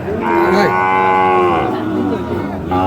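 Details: Sahiwal bull calf at Ambari cattle market, Parbatipur, Dinajpur, Bangladesh, 30 March; one long loud moo with a rising then steady tone and a falling end, over crowded market noise and voices.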